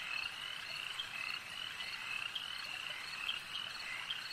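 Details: A chorus of frogs at a lake croaking continuously, high and dense, with individual sharper notes popping out about every couple of seconds above the steady wall of overlapping calls.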